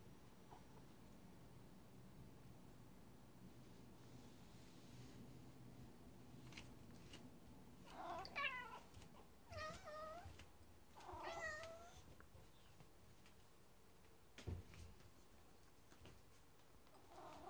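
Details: Domestic cat that seldom meows, mewing excitedly because it recognises a new treat; three clear rising-and-falling meows close together in the middle, with scattered clicks and taps before and after.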